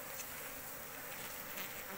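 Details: Asian honey bee (Apis cerana) from a large wild colony found in an oil palm plantation: a steady, dense hum of many bees, broad and unbroken through the short stretch, with no clear voices over it.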